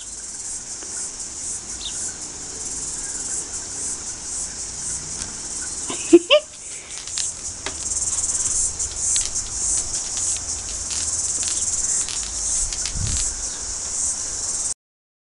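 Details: Chorus cicadas (Amphipsalta zealandica), New Zealand's largest and loudest cicada, fill the air with a steady, shrill, high-pitched buzzing song that never lets up.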